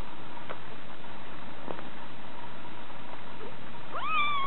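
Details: A six-week-old female Scottish Fold munchkin kitten gives one short, rising meow after a few quiet seconds of soft clicks.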